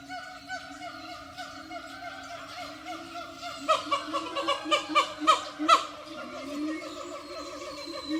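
A siamang sings with drawn-out, richly harmonic whooping tones that waver slightly in pitch. Midway the calls break into a rapid, accelerating run of loud barking whoops before easing back into lower, sliding notes.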